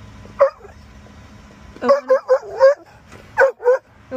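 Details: Chocolate Labrador Retriever barking eagerly at its owner's office as a reminder to head home: one yip, then a fast run of four high-pitched barks, a pause, and two more, over low background hum.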